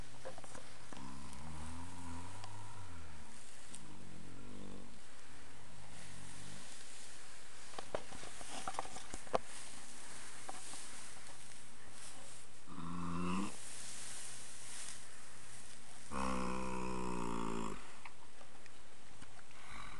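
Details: Dream (Mischief at Sunrise), a 10-year-old male registered foxtrotter horse, napping in old hay piles one afternoon after romping in the yard. Low droning hums with stacked tones are heard early on, then two louder buzzy snore-like bursts later.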